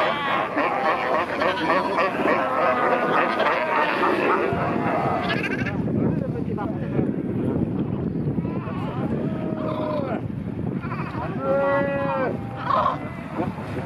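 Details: Fur seal colony at Pelican Point near Walvis Bay, Namibia, with many newborn pups, heard from kayaks; a busy mix of hoarse bleats at first, then clearer wavering, rising-and-falling bleats standing out in the second half.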